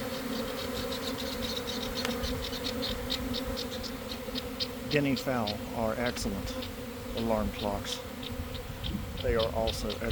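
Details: A honey bee swarm forming out of a garden hive in early afternoon following a week of cold, damp weather. A constant buzzing hum with close fly-by whines, and a man's voice speaking through the second half.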